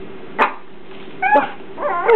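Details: New Shih Tzu puppy giving three short, high yappy barks spaced about half a second to a second apart, with a steady low hum in the background.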